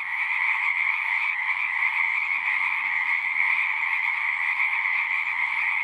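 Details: Pond frogs in a horse pasture singing together, a continuous shimmering wall of trills, high and steady, with a slight dip near the start and no other clear sounds.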